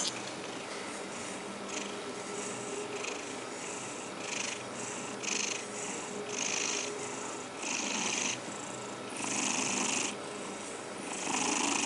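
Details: Domestic cat purring steadily while being combed indoors, a continuous rough, fluttering purr under repeated bright swishing brush strokes roughly every second.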